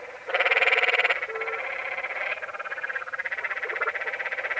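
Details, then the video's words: Canyon tree frog in Zion National Park, Utah, at Many Pools Trail: one loud, rasping, pulsed trill lasting under a second, followed by continuous softer overlapping trills from other frogs. "Sounds of The Canyon Tree Frog"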